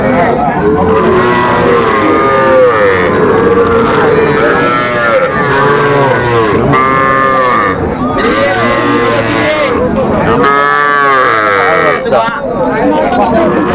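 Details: Sahiwal bull calves at a cattle market bought by a Dhaka farmer on 11 November 2024: repeated arching moos, overlapping from several calves, under steady talk of bargaining men and crowd noise.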